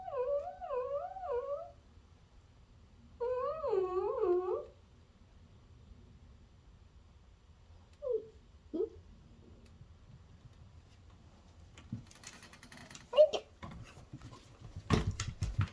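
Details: Fourteen-year-old senior Miniature Dachshund named Melty, calling indoors as her owner comes home, voice sounding like a fur seal: two long, wavering, warbled moans, then a few short yelps, followed by rustling and handling noises.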